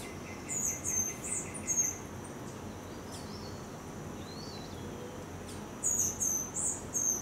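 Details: Three-week-old baby Geoffroy's tamarin giving thin, very high chirping whistles in short rapid bursts, one run early and another near the end, with faint lower peeping and a soft insect-like background hiss.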